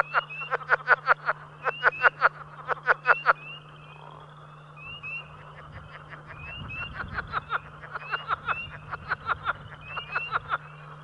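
Southern leopard frog giving rapid, guttural clucking notes in bursts, with a steady low hum behind.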